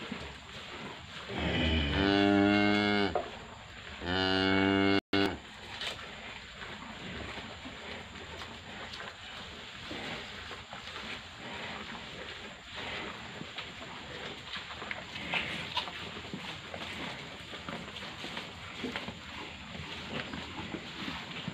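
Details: Limousin cattle aged 123 and 174 days. Two long, harmonic moos in the first five seconds, then a steady rustling background.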